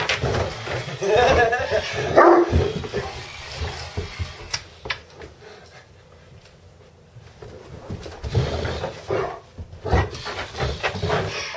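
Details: A two-year-old Harlequin Great Dane barks inside the house at an electric screwdriver used to build a desk; bursts of deep, rough barking come early and late around a quieter middle, with human voices over them.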